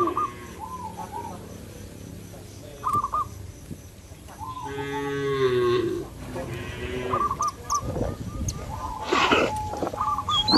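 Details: Free-roaming village cattle mooing to summon companions home to the shed: a strong, rough-edged moo lasting nearly two seconds, followed by rustling and busy bird chirps throughout.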